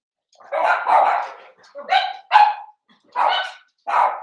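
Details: Puppy pen at home holding five blenheim Cavalier King Charles Spaniels, seven weeks old: a run of loud, uneven barks and yelps, some drawn out and whiny, spaced by short gaps.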